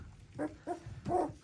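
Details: Two-week-old puppies on their seventeenth day of life, indoors, giving three short squeaky whimpers with a tonal, slightly falling pitch, separated by brief pauses, over a faint background hum.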